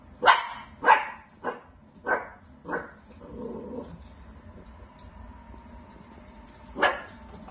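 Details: Dachshund barking in a quick run of five sharp barks, evenly spaced about half a second apart and fading slightly, then a pause before one more loud bark.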